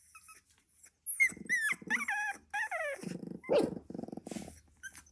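A sleeping Staffordshire Bull Terrier puppy gives thin, wavering whimpers, then low, pulsing growl-like snores.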